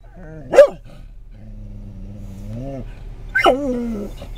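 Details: Pet Scottish Terrier at a rest stop on I-10 in Florida, reacting to the sight of other dogs: one sharp bark, then a long, wavering, nasal whine that slowly rises, ending in a second yelping bark that slides down into a whimper.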